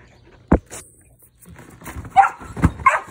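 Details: Dog playing on a trampoline in the United States gives a burst of short, mid-pitched barks near the end, after a sharp thump and a quiet stretch, with bouncing and rustling sounds beneath.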